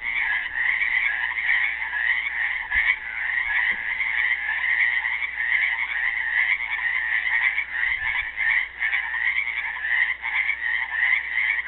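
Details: Dense, unbroken trilling from many frogs trapped in a pool at Helix, Oregon, Earth Day 2016, with faint low knocks now and then.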